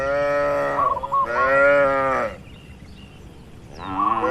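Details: Cattle kept together in a farm pen: two long, full moos follow each other closely, then a quiet pause before another lowing call begins, with faint small high notes beneath.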